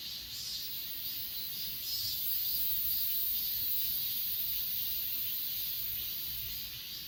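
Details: Grass insects on Achasan mountain, recorded on an S20 Ultra: a steady, dense chorus of high, shimmering trilling, with continuous bands near the top of the range and faint pulsing that swells slightly midway through.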